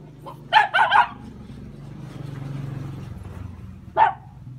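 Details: A quick triple bark from hunting Jack Russell Terriers, rough and harmonic, rises over a low rumbling background, then a single sharp bark follows after a pause.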